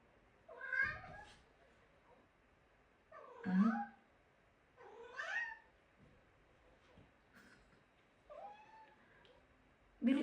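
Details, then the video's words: Domestic cat meowing indoors, five separate drawn-out meows spaced about two to three seconds apart, some rising then falling in pitch, with quiet speech between. "cat talking?"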